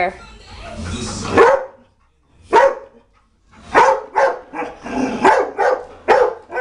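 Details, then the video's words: Dog barking at a china cabinet inside a home, a run of short sharp barks spaced under a second apart after a stretch of talking at the start. "Dog barking at China Cabinet"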